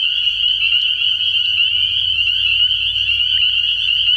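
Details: Many spring peepers calling together at night from a frog pond in early spring. The sound is a steady, shrill, high-pitched ringing built from endless overlapping peeps, over a soft low background hum.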